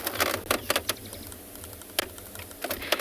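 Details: Irregular sharp clicks and rattles over a steady low hum, with no animal voice heard.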